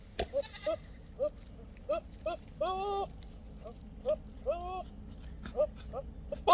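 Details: Goats give short, clipped calls likened to monkey noises, mixed with a couple of longer, wavering bleats.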